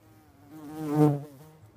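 A bumblebee's low, droning buzz swells as it flies close, then fades away.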